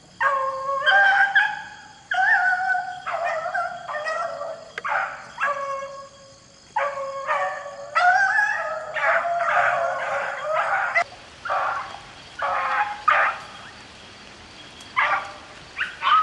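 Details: Beagles in full cry while rabbit hunting in the rain: loud, rapid series of choppy bays and yelps, dense for eleven seconds, then sparser and rougher cries amid louder rain hiss.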